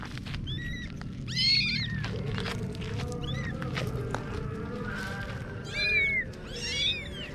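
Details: High, thin kitten mews come in short bursts over a busy background of clicking, rustling and a low steady hum, with a couple of louder arched meows near the end.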